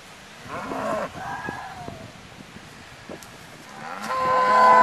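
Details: A mixed herd of brown, black and white cows around a pickup truck: a nasal moo early on, a quieter lull with faint rustling, then a loud, rich, rising moo building at the end.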